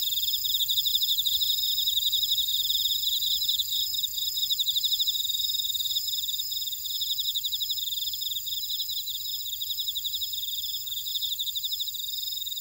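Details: Insects calling in a buckwheat field at Orado, Jeju City, Jeju Island, South Korea; rapid high ticking trills layered over a constant shrill drone, many callers together without a break.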